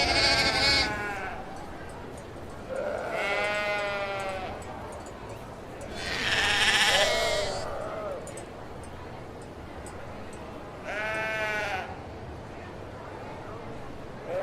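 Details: Sheep bleats repeated roughly every three to four seconds, each a wavering harmonic call about a second long, over steady low background noise.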